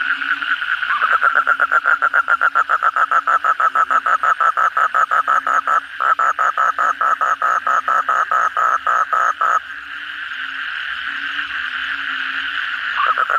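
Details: Asian common toad calling at night after a heavy downpour: a close, loud series of evenly spaced croaking pulses, about five per second, for roughly eight seconds, then a fainter massed chorus of other toads.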